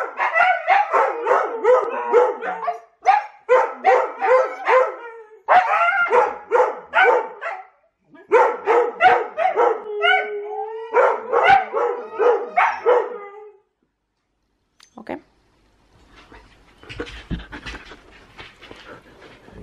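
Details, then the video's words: Huskies wrestling together in play: rhythmic bursts of harmonic woofs and yowls, roughly two or three per second, grouped into short runs with gaps, one long falling moan, then quieter scattered yips and rustling near the end. "Husky wrestling!"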